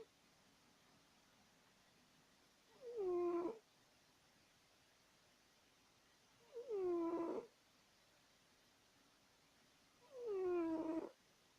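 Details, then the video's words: Sleeping pet cat snoring loudly indoors; three drawn-out, nasal, harmonic snores with a falling tone, each lasting under a second and spaced about four seconds apart, against quiet background hiss. "Our Cat Woodward Snoring!"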